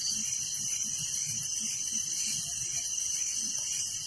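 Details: Continuous night-time chirping of crickets in a village: a shrill, fast-pulsed trill over a steady high ringing tone, unchanging throughout, with no other clear sounds.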